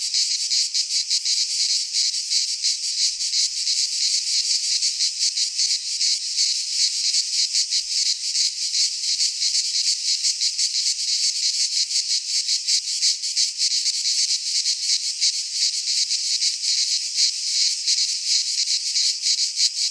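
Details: Midsummer cicada chorus in a pine forest in Greece. A continuous hissing, rasping drone throbs about three times a second for the whole stretch, with nothing else audible.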